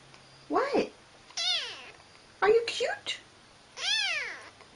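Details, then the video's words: Pet cat indoors giving several short meows, some bending upward and others arching downward, mixed with a person talking to it in a soft voice. "Talking Kitty"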